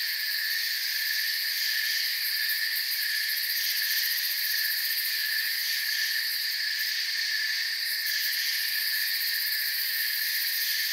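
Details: Continuous cricket chirping fills the air, several high trilling bands held without pause, overlaid by scattered fast pulsed ticks at the very top, steady in loudness throughout.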